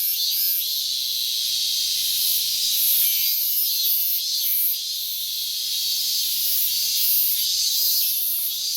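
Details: Shrill, high-pitched droning of a Minmin cicada, recorded 12 August 2019 while calling well since morning after a late start to the season; the buzz swells and dips in a rhythmic pulse, with faint lower tones beneath.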